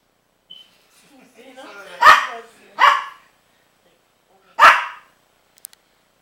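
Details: Princess the dog barks at a baby pitbull named Rocky, recorded 12-08-09; a low rising grumble leads into two quick harsh barks, a pause, then a third bark, with faint voices in the background.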